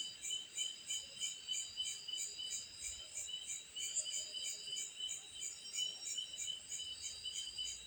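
A night chorus of cicadas fills the air with high, shrill buzzing in several layered tones. The sound swells and fades in quick, regular pulses, about three each second, and never stops.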